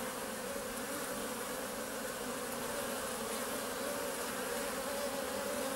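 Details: Honey bees recorded at close range buzz steadily, many wings humming together in a continuous drone; the first bumblebees are also appearing.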